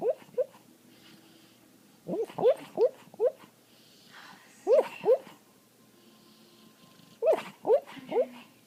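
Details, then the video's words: A female dog called Patty, asleep and dreaming, lets out muffled rising-and-falling whimpering yelps in clusters of three or four, with pauses of about two seconds between clusters in a quiet indoor room. "Dog makes funny noise while sleeping"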